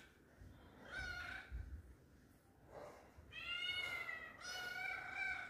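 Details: Inside a home, a lonely kitten looking for companions cries repeatedly: one short mew, then two longer, strongly harmonic, slightly falling meows, over low background rumble.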